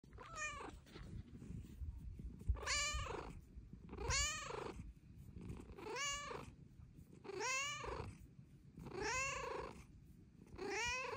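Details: Young female Bengal cat, her purr growing louder with age, meowing to ask for petting: a steady series of seven drawn-out, arching meows about every one and a half seconds, each rising then falling, over a soft low purr.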